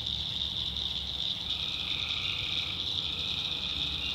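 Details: Tree frogs calling at night in a North Carolina backwoods swamp: a dense, unbroken high trilling chorus, with lower droning voices rising and fading underneath and a faint low rumble in the background.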